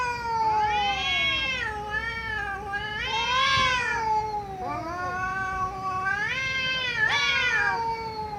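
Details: Domestic cat meowing loudly in a series of long, harmonic-rich wails, each swelling and bending in pitch, about four drawn-out cries, steady and insistent.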